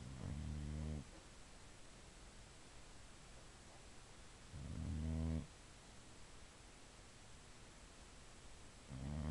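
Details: Female Boxer asleep, snoring in long low rattling inhalations roughly every four seconds, each about a second long with stacked buzzy harmonics, quiet hiss between breaths.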